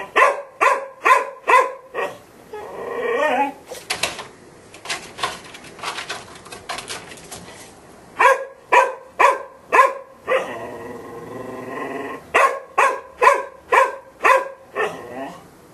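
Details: Golden Retriever barking in repeated sharp bursts, about two per second, broken midway by a stretch of whining and scuffling noise before the steady barks resume.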